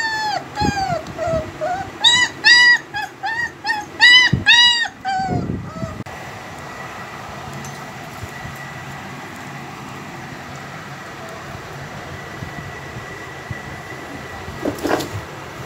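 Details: Heavy-bone double-coat German Shepherd puppies, home bred, give rapid strings of arching whines and yelps for the first six seconds, then fall quiet, leaving a steady low hum and a faint tone.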